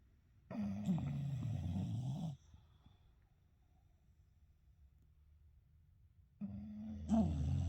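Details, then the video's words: Sleeping together, two English Bulldog brothers snore loudly: a low, rattling, buzzy inhaled snore of nearly two seconds, a long quiet gap, then another rough snore begins, in a small indoor room. "English Bulldog Brothers Snoring Loud Together"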